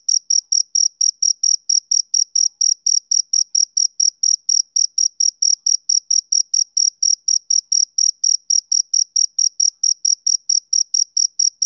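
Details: A male cricket keeps up bright, shrill chirps in an even train, just over three per second, each pulse short and ringing, with no background noise.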